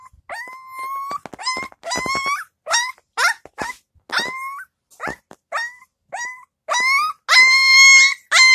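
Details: Young Husky puppy complaining in its pen indoors, wanting to be let out: short nasal whines and yips that bend upward and level off, repeated about twice a second, with a longer, louder drawn-out howl-like whine near the end.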